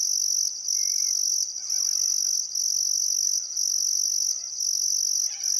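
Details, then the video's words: Loud cricket chirping at a summer sunset on the Barcoo River, Welford National Park, Outback Queensland: a high, piercing drone that dips briefly about once a second, with faint wavering bird whistles underneath. "Australian Sunset Chirping Crickets"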